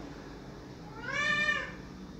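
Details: A single loud, arched meow from a house cat crying for the door to be opened, rising briefly then sliding down, against a low steady room hum.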